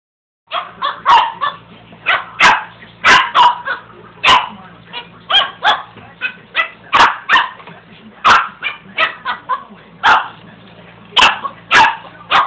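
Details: Pet dog barking at a carpet sweeper indoors: a long run of sharp, loud barks, some in quick pairs, roughly every half second to a second, over a steady low mechanical hum from the sweeper.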